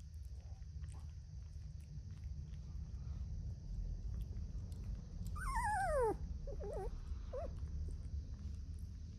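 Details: Brandy's puppies on February 14th: a puppy lets out a high, sliding whine that falls steeply in pitch, then a few short wavering squeaks follow, all over a steady low background hum.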